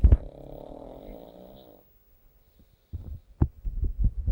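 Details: Funny pug snoring: a loud snort opens a drawn-out, humming wheeze lasting nearly two seconds, then a short hush before choppy, rough low snorts return in uneven bursts.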